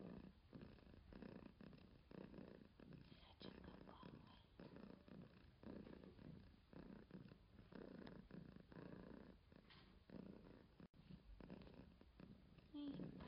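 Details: Continuous low purring from a cat, rhythmic throbbing bursts following the breathing cycle for the whole stretch, with a faint high squeak right at the end.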